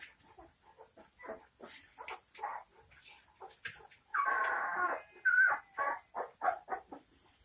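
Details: Several 19-day-old St. Bernard puppies giving short, scattered squeaky whimpers, then a longer sustained whine with a bright high squeal just after it, followed by more brief yelps.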